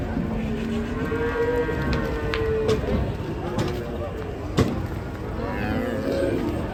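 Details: Sacrificial cattle rampaging while being unloaded from a truck give one long, drawn-out moo, a steady tone that holds for over a second before falling away, over people talking nearby and a few sharp knocks and thuds.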